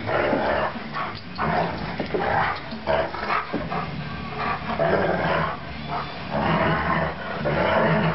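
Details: Max, a 3-year-old Alaskan Malamute, playing: a run of grumbling, rumbling growls with short breaks between them, rising and falling in loudness across the whole stretch.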